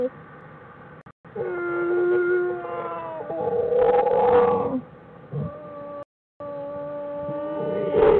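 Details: Bears in a den, January 16, 2013, making a song-like sound: long, steady, harmonic hums that hold pitch for seconds, swelling louder midway, then softer held tones after a brief dropout.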